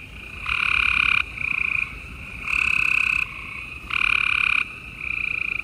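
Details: Gray treefrogs calling at night in Houston, Texas, on 28 April 2020: loud trilled bursts lasting under a second alternate with quieter overlapping trills from other frogs, forming a continuous busy chorus.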